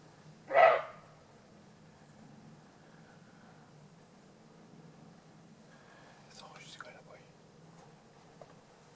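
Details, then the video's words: Single roe deer bark in Alsace, France: one short, rough, explosive bark at the start, followed by faint rustling and a few soft crackles. "Aboiement du chevreuil"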